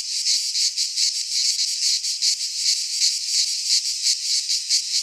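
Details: Midsummer cicada chorus in a pine forest in Greece: a shrill, grating buzz that swells and fades in quick regular pulses, about three per second, unbroken for the whole stretch.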